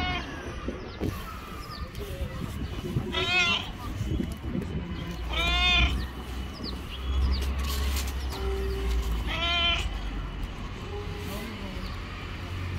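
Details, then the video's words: A yellow stray cat living on the street meows repeatedly as if wanting to tell something, with harmonic rising-falling cries near 3.5, 6 and 9.5 seconds amid low rumbling background noise and faint other sounds. "Cute yellow stray cat wants to tell me something."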